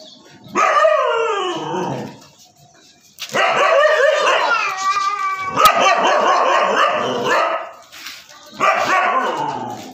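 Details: Siberian Husky named Prince, a pet dog, giving long harmonic bark-howls in four bursts, each loud, strained and falling in pitch, separated by short pauses.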